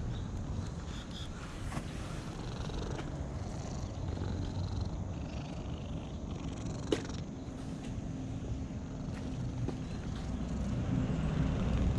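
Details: A stroked cat purrs in a continuous low, throbbing rumble, with a brief sharp click around the middle and slight rustling.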